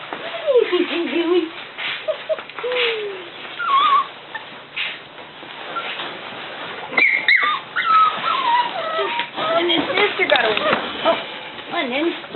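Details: Cavalier King Charles Spaniel indoors, whining in high, wavering tonal whimpers that slide up and down, scattered through the stretch, while a person speaks to the dogs in between.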